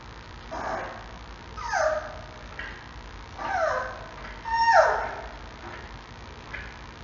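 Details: Six-week-old male giant panda cub at a zoo calling its mother one morning: a series of high, descending squeals and whiny cries, about four prominent calls spaced irregularly, over low constant hiss.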